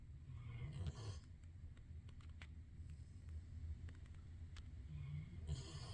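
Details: A dog sleeping in a bed rather than its dog bed: two raspy snore bursts about five seconds apart over a soft, continuous low rumble.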